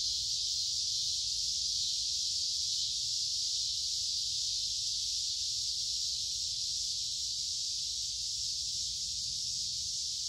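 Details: Chorus of noisy cicadas by a woodland creek in midsummer, warm and humid: an unbroken, hissing high-pitched buzz holding at the same level throughout, nothing else standing out.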